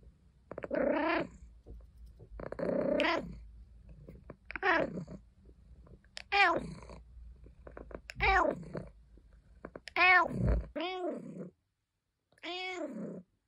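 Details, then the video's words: Pet cat Caesar von Schwanheim meowing and complaining: a run of seven short arched meows, roughly one every one and a half seconds, the later ones clearer and more tonal, ending in a brief silence before the last call. "Caesar meowing Compilation 01 | Cat Sounds | purring and complaining"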